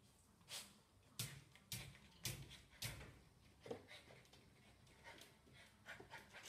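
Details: Golden Retriever puppy playing with its reflection in a mirror indoors, breathing in quick irregular breathy pants with short bursts spaced about half a second apart, in a small quiet room.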